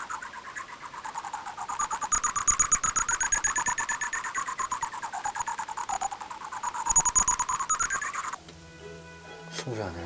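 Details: Bat echolocation ultrasound from a cave in Jeonbuk, Korea, made audible as a rapid, dense run of dry clicks that speed up and slow down, heard while comparing how calls differ between bat species.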